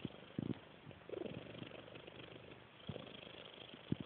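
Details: A snoring cat gives two or three short, low, husky breath sounds over a faint steady background hiss.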